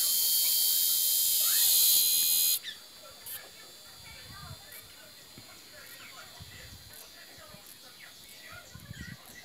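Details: Cicadas in an aroeira tree. An intense, high electric-sounding buzz runs for about two and a half seconds, then stops abruptly, leaving quiet background with scattered soft clicks and chirps.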